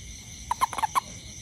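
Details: Toad near a home after rain, searching for ants, gives five short, clear, tonal pips in rapid, slightly uneven succession within half a second; a constant insect drone hums behind.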